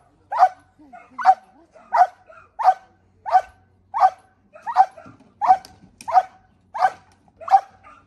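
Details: Belgian Malinois in decoy training giving rapid, evenly spaced barks, about twelve in eight seconds, each short and sharp, over a quiet background.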